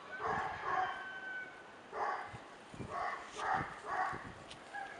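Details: Male Tibetan Mastiff puppy named Millennium giving short, high, ringing barks in clustered pairs, roughly two to three bursts per second with brief pauses between groups, over a faint steady background tone.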